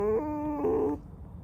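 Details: Pet fox named Alice giving a sustained squeaky whine, a tonal harmonic note that steps down then back up in pitch over about one second, indoors, then quiet.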